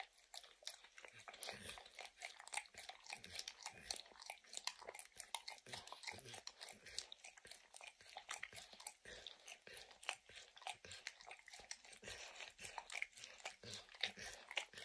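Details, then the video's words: A dog called Max enthusiastically laps peanut butter and bits of kibble from an orange mat. A long, steady run of rapid wet licks and crunches goes on throughout, with brief low thumps and no speech. "Dog Licking Sounds"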